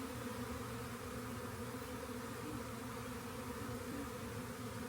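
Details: A swarm of honey bees found near a rain gauge gives a steady, dense buzzing hum with layered low tones, unbroken for the whole stretch.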